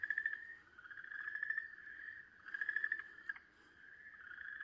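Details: An Okinawa green tree frog screams in distress while a snake seizes and swallows it, a steady high wailing cry that swells and fades in long bouts, 4 March 2023.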